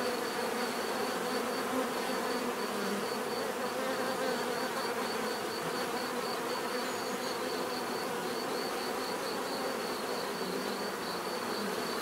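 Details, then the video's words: Long unbroken buzzing of bees, a dense mid-range hum with small shifts in pitch from passing insects, accompanied by a steady high pulsing tone in the background. "bees therapy relaxing natural buzzing sound"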